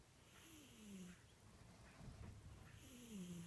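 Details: Cat snores with a nasal whistle that glides down in pitch on each breath, two breaths separated by a raspy exhale, low rumble underneath.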